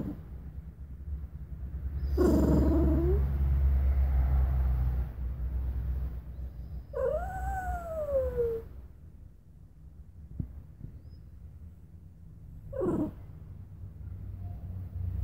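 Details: Bichon Frise named Luna, a pet dog, giving several short whining whimpers: a wavering whine early on, a clear rising-then-falling tonal whine in the middle, and a brief high squeak near the end, over a low steady background hum.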